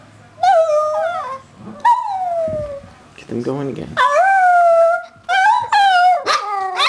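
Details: Two Shih Tzus singing a melody together, recorded 01/12/08: wavering, tonal howls with bright overtones, some held and some sliding down, broken by short pauses and a brief rough, noisy burst in the middle.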